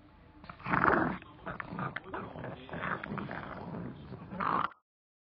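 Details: A pet pug, fixated on a Himalayan cheese chew treat and eager for food, gives rough, snorting growls and grunts in several bursts. The loudest bursts come near the start and just before the sound cuts off at about five seconds.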